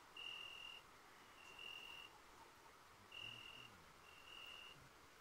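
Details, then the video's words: Night chorus of crickets beneath a full moon at the Cilpirti yayla: pure, high whistle-like pulses about half a second long, spaced irregularly one to one and a half seconds apart, with faint low rustling below. "Ay Işığı Altında Cırcır Sesleri"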